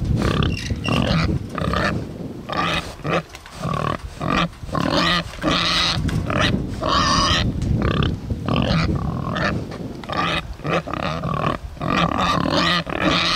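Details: Two Bentheimer pigs on a Lower Rhine meadow grunt and squeal busily, with rough, rapid snorts overlapping throughout; the grunting admittedly does not sound happy.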